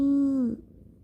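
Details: Pet cat named Rangi, stroked before sleep indoors, gives a single short voiced mew, a steady tone held half a second that dips at the end, then quiet room.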